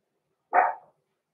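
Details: Blenheim Cavalier King Charles Spaniel puppy, six weeks old, from a small litter in an indoor home puppy pen, gives one brief high yap that starts abruptly and tails off within about half a second; nothing else audible.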